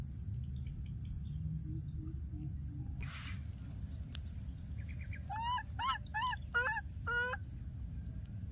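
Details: Baby monkey that has lost its playmate, calling over and over: a quick string of six harmonic, wavering cries, some rising and some falling, over a steady low rumble of background noise.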